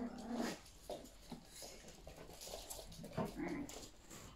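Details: Indoor play between Yorkshire Terrier puppies and their mother: short grumbling growls and whimpers every second or so, mixed with scuffing, thumps and a faint voice.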